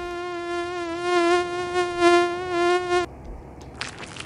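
A mosquito's thin, steady whine, held at one pitch for three seconds before stopping abruptly.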